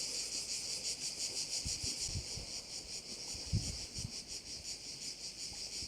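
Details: Crickets at a bay on Korčula sing in a dense, high, shrill chorus, pulsing about three times a second without pause, with brief low rumbles of wind in the background.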